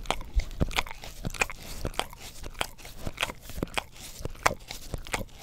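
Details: Sticky, crackling tongue smacks from a pet English Cream Golden Retriever licking a tongue cleaning brush, picked up by a Blue Yeti stereo microphone; quick irregular clicks several times a second.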